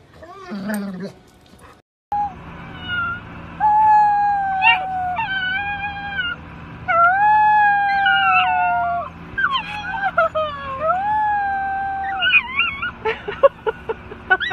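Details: Golden Retriever howling in long, wavering, tonal notes that slide up and down, several sustained cries over about ten seconds, with brief voice-like sounds at the start and choppy noises near the end.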